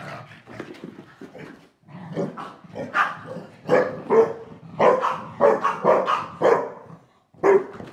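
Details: Two pet dogs, Yum Yum the Shar Pei and Bunny the Boston Terrier, wrestle hard after dinner. Rapid bursts of barking and throaty growls tumble over one another, roughly one per second, with short silent gaps.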